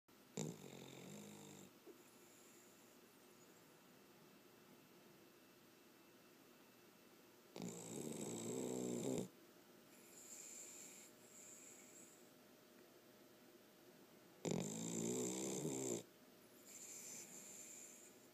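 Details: A Cavalier King Charles Spaniel snores in its owner's lap, giving loud, rattling bursts about every seven seconds, with softer breaths between.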